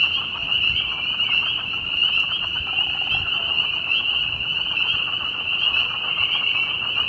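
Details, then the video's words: A dense spring peeper chorus in spring at Bloomington, Indiana: countless high, piercing peeps overlap into a steady, ringing wall of sound, with possible Southern Leopard Frogs and American Toads, and faint low background noise. "Frog Symphony"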